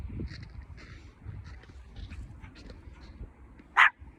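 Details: Hendo, a male Pomeranian born 20 August 2021, on his second birthday indoors; after a stretch of soft low rumbling and faint shuffling, he gives one short, sharp bark near the end.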